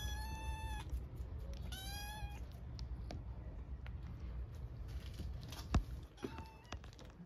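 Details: Orphaned stray kittens in Istanbul meow loudly for food: two high, drawn-out cries close together near the start, a later fainter meow, with low street rumble and clicks in between.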